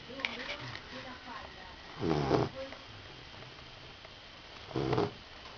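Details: Rottweiler puppy snoring in its sleep: two grating, buzzy snore bursts roughly three seconds apart, with faint murmuring and small noises before the first.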